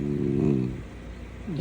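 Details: Golden retriever wanting attention gives a drawn-out, moaning vocal lasting about half a second, then fades; a short rising yelp follows near the end, with faint indoor background.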